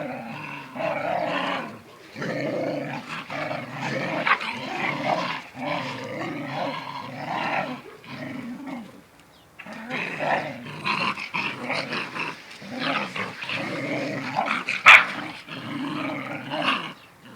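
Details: Mother dog teaching her young son to stand up for himself: long stretches of low, rumbling growls broken by short pauses, with snarling bursts and a sharp snap near the end.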